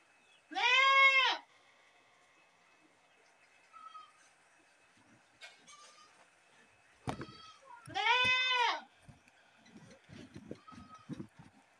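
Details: Two loud, buzzy goat screams about seven seconds apart, each under a second long, with faint knocks and small background noises in the pause between.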